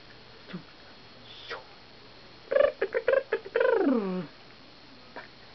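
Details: An 8-month-old black-and-cream dachshund gives a quick series of high, tonal yips ending in a long falling whine.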